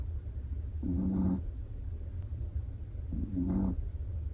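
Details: A dozing Chihuahua gives two drawn-out, buzzy snores roughly two seconds apart, each a low rumbling rattle with a gentle rising edge, against a quiet background hum.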